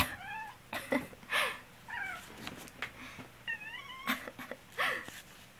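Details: Black pet cat indoors, reacting while its owner, who has a cold, coughs; short harmonic meows with bending, wavering pitch come in quick bursts between several harsh human coughs, with quiet room hum underneath.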